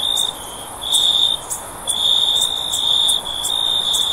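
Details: A cricket gives a shrill, pure, high trill that breaks off and resumes several times within a few seconds. Brief higher clicks and a low hiss run underneath.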